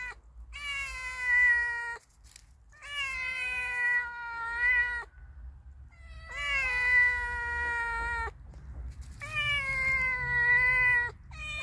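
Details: Cute friendly cat and kitten: four long, evenly spaced meows about every two and a half seconds, each rising briefly then holding a steady tone, separated by short pauses, with a faint low hum beneath.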